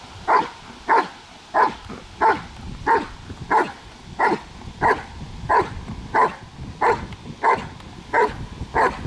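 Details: Barking German Shepherd working in controlled protection training: fifteen punchy, regular barks spaced roughly every half second over nine seconds, with a faint low rumble of background noise between them.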